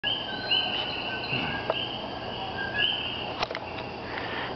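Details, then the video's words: A chorus of tiny common coquí frogs in Puerto Rico gives high, bird-like whistled notes that overlap continuously, often mistaken for birds. "Sonidos de los coquí"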